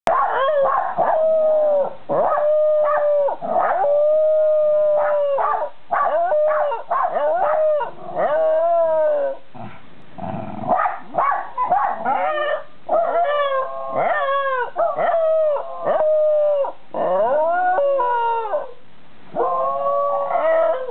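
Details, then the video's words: A white Shiba Inu named Chiro and a Jack Russell Terrier named Ran howl together on an evening in July 2018 around 6 pm. Long steady drawn-out notes are broken by wavering, sliding yelps, with a brief noisy pause midway. "犬の遠吠え 白柴とジャックラッセルテリア"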